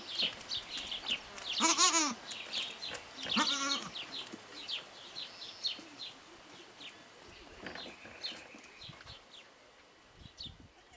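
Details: Newborn goat kid, three days old, with a front-leg malformation and a temporary pipe-and-tape brace, in Parignargues, France; two short harmonic bleats near 2 and 3.5 seconds, then quieter rustling and faint background noise.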